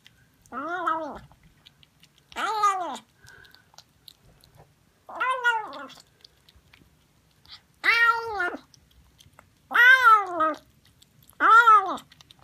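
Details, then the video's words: Cat meowing in a quiet room, six clear arched meows with rich harmonics, each under a second long, spaced roughly every one and a half to two seconds, louder toward the end. "Funny Cats and Kittens Meowing Compilation October 2020 😺💗 Noisy Cats and Kittens Meow"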